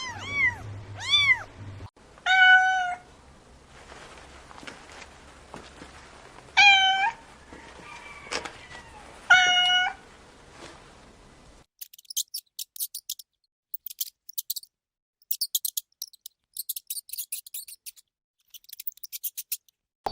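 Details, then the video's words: Kittens playing on grass while chasing butterflies: a few arched mews and several flat, drawn-out meows in the first half, followed by scattered faint clicks and ticks with no calls. "Adorable Kittens Stalking and Chasing Butterflies on the Grass – Meowing Sounds"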